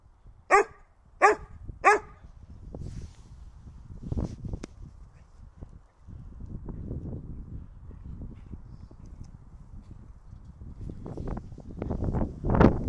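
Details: Three sharp, loud barks in quick succession open the recording: Holger the dog demanding the stick. Softer scuffling and low grumbling follow before a final rising bark-like burst.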